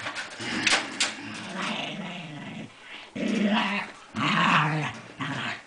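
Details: Pet dog growling indoors in sustained low rumbling bouts of one to two seconds, with brief pauses between, plus a few sharp yips and higher whines near the start and end.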